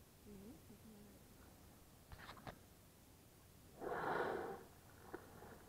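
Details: Breath of a whale emerging next to kayaks in calm water at Bahía de las Conchas by Bahía Magdalena, Baja California Sur; soft human voices and a few knocks come first, then one short, forceful whooshing exhalation, followed by a small splash.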